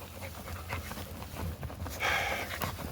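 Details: Josa, a female Labrador Retriever, running with zoomies and digging in the forest at a dog park. Soft, breathy panting bursts come in quick succession, then a brief thin high tone near the end over faint outdoor background.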